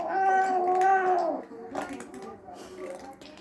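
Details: Domestic cat grumbling while eating, a drawn-out tonal meow with strong harmonics lasting over a second, followed by a woman talking indoors.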